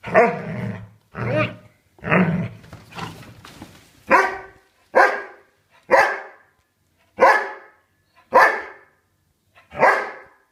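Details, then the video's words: Dobermann puppy barking while attacking, indoors: about ten sharp barks, the first three lower and growl-tinged and closely spaced, then cleaner single barks roughly every second with short silences between. "Dobermann puppy attack"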